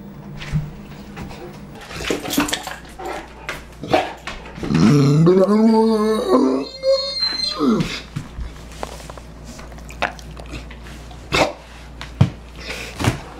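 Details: Ours the Saint Bernard, a pet dog with a lot to say, gives a wavering, yodel-like moan of about two seconds amid household clatter, running water and brief human voices.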